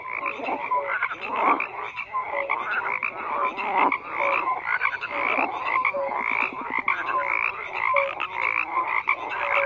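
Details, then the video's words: Dense frog chorus with many overlapping croaks and pulsed calls, short tonal notes repeated throughout, a steady mid-pitched wall of sound with no other noise. "FROGS CROAKING"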